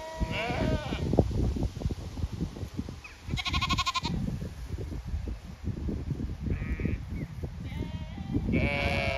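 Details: Flock of Zwartbles sheep on a regenerative farm in County Kilkenny, Ireland, expecting a move to fresh pasture; a few scattered bleats, one strongly vibrating and tremulous, rise above steady low trampling and rustling noise.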